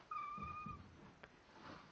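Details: Domestic cat talking to its owners: a quiet, steady, drawn-out meow about two-thirds of a second long, over a low room rumble with a soft click.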